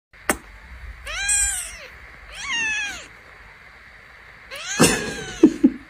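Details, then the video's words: Kitten mewing three times: thin, high, drawn-out meows that rise and then fall, with a sharp click just before them and a few knocks near the end. "cute kitten"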